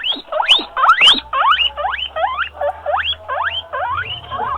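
A guinea pig gives a rapid run of shrill wheeks, each a sharp rising squeal that comes about twice a second. The call asks for attention or food.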